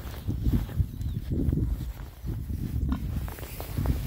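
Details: Six rare-breed Oxford Sandy and Black boars forage contentedly on a winter day between storms. Dense, overlapping low grunts and oinks run almost continuously, mixed with rooting and footsteps.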